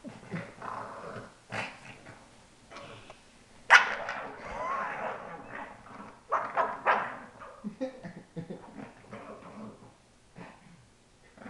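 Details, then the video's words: Female pug, one of two kept as pets, giving odd snorty noises: irregular wheezing snuffles and grunts, a sharp louder burst near the middle, then softer sniffing. "The Noises of Pearl"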